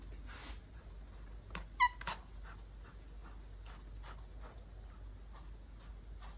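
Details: Domestic cat chirping and chattering: one short, bright chirp with stacked overtones, then a quick run of faint, dry clicks and chitters over a steady low hum.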